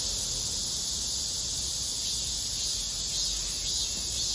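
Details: A robust cicada (Korean 참매미) keeps up a loud, shrill, high-pitched drone that holds steady without a clear break, with a faint low rumble beneath it, on a hot day.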